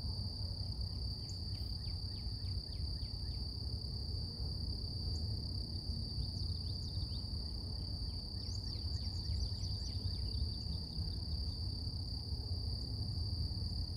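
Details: Cicadas in a natural setting in the morning keep up a steady, even, piercing drone. Bursts of rapid down-slurred bird chirps come early and again later, over a persistent deep background rumble.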